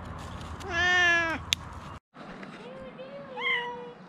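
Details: Rescued cats: one long, strong harmonic meow, a sharp click, a brief silent dropout, then a softer drawn-out meow overlapping a second higher rising mew, with low background noise throughout.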